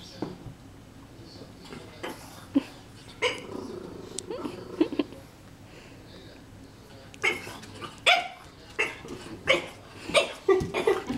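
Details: French Bulldog puppy, indoors, barking at a magazine it is afraid of; sharp barks and growly yaps come in uneven bursts, sparse early then a rapid run of about a dozen in the last four seconds, with a person talking.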